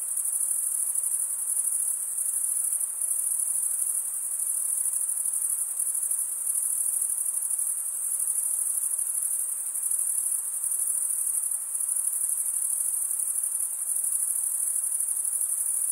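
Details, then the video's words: Crickets, males stridulating by rubbing one wing along the toothed vein of the other, make a steady high-pitched trill that runs unbroken and even for the whole stretch, with a faint softer hiss beneath and no other sounds. "Most relaxing cricket sound"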